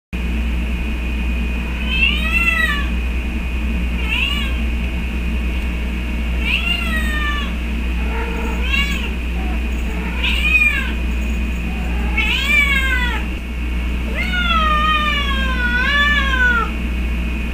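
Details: Pet cat meowing every day while its companion cat was missing: long drawn-out wailing meows, rising then falling, repeated several times, over a steady low household hum.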